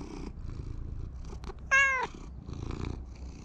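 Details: Community cat in a park being petted, a soft low purr at the start and end, broken by one loud, short rising-then-falling meow in the middle, with faint rustling.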